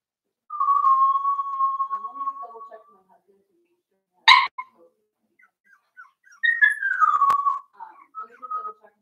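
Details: Cavalier King Charles Spaniel puppies, four weeks old, in Daisy's puppy pen: a long steady whistled whine held for over two seconds, a sharp click, then a second whine sliding downward, with faint squeaks between.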